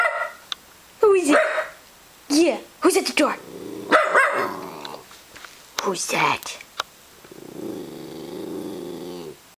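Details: House dog excited by a computer-played doorbell, letting out clusters of barks and yips mixed with growling, followed by a long low rumbling growl near the end, as a person speaks in between.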